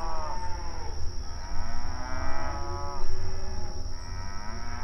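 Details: Cattle on open range pasture communicating while grazing outdoors; overlapping drawn-out moos rise and fall in pitch, several animals calling in turn, with a continuous low background rumble and a steady high-pitched tone.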